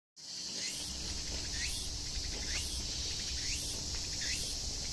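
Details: Tsukutsukuboshi cicada (Meimuna opalifera) singing: a steady high shrill buzz, with short rising chirps repeated roughly every second, against a low background rumble.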